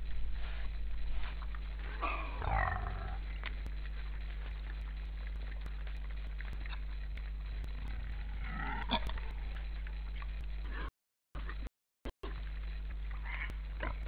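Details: Wild boar sniffing, recorded 12 December 2012 at 16:39: two bursts of breathy, snuffling snorts around the second and ninth seconds, heard over a steady low electrical hum, with brief dropouts of silence near the end.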